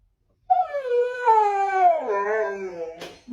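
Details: Siberian Husky, a pet dog, howling indoors while impatient before going out: one long drawn, wavering tonal howl rich in harmonics, gently rising then sliding downward over about two and a half seconds, ending with a short yelp.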